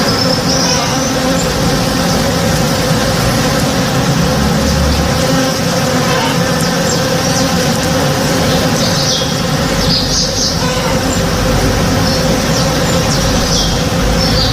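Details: Backyard tree in bloom alive with working honey bees on a morning, a steady droning buzz of many bees underneath short, bright bird calls near the middle and end.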